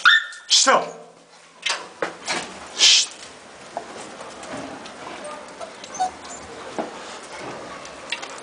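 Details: Rottweiler in Nigeria: a sharp, high yelp with strong overtones opens the clip, followed by a few short barks and soft dog noises. Human voices sit among them over a steady background hiss.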